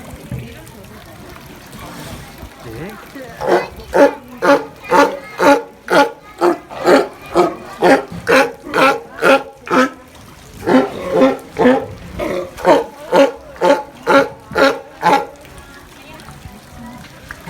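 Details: Sea lion barking in a steady series of loud, hoarse, harmonic barks, about two per second, with a short pause midway before the run resumes; faint background murmur.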